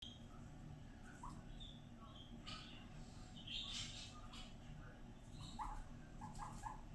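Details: Guinea pig named Fiddy, a pet out for floor time, making happy noises; short soft squeaks and chirps scattered through, rising little notes near the end, with rustling and background hiss.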